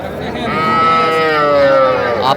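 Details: Small bull and heifer calves at the Tuesday cattle market in Aftabganj, Dinajpur, Bangladesh, 7 January 2025: one long, steady, tonal bawl lasting about two seconds, sliding slightly downward at the end, with a man talking over it.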